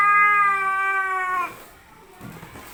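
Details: Cats fighting: a loud, steady harmonic yowl held for about one and a half seconds, then cut off, followed by low scuffling noise.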